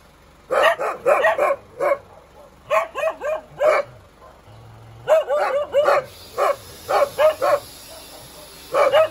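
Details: Dog barking in quick bursts of three to five sharp, mid-pitched barks separated by short pauses, with a faint low hum in the background.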